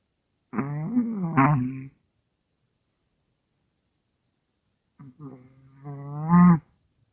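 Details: Small Russian Toy Terrier asleep and snoring loudly: a rough, droning breath with a catch in the middle, a long pause, then a quieter snuffle that swells into a strong, groaning snore.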